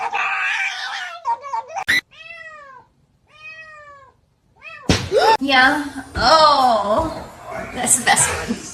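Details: Domestic cat meowing indoors: after a brief opening burst, two clear drawn-out arched meows follow with short gaps between, then overlapping human voices and further wavering cat cries in a small room.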